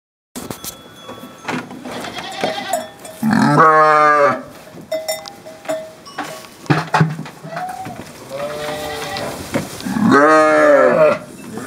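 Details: Assaf sheep held with a wooden trap. Loud, wavering, harmonic bleats come at about three and ten seconds, with softer bleats in between. Clanking, rustling and knocking sounds run throughout.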